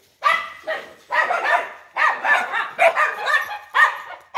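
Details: Rapid bursts of rough barks from a big-bellied dog, around six loud yaps crowded into a few seconds, each harsh and slightly drawn out, with barely any pause between them.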